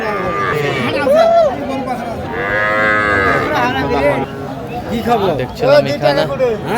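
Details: Young Sahiwal bull calves and heifer calves at a cattle market in Noakhali, Bangladesh, on 30 March 2025, where a farmer buys small calves; several drawn-out mooing calls rise and fall amid loud men's talk and crowd chatter.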